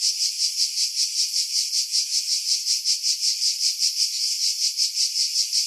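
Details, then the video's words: Cicada chorus among pines above Pefkos Bay, Skiros, Greece, July 2018, wind filtered out: high-pitched rasping buzz with clear rhythmic pulses, roughly two to three per second, continuous. "Cicada Sounds"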